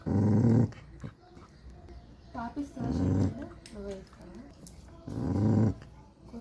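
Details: Three deep, rumbling puppy growls spaced a few seconds apart, each about half a second long, with a person speaking softly between them.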